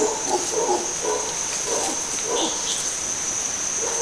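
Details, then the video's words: A troop of red howler monkeys calling early in the morning in jungle by Gatun Lake, Panama Canal area: repeated hoarse, wavering roaring bursts over a steady high insect drone. "Vale, guapo. We have more howlers monkeys here. They're too loud."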